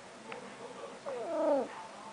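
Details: Talking house cat indoors: after faint low murmurs, a single arched meow rises and dips over half a second, tonal and harmonic, in a quiet room with the owner's voice nearby.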